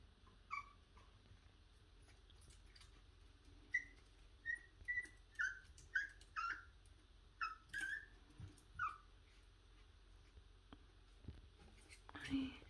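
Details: Puppy named Heukimja, a pet dog, excited by the smell and sounds of food before feeding; a series of high, thin whistled whines, about ten short notes over several seconds, indoors, with a person's voice nearby.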